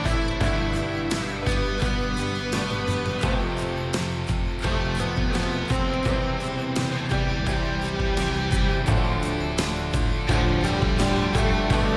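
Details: Strummed guitar music with a steady beat plays throughout, with no animal sound.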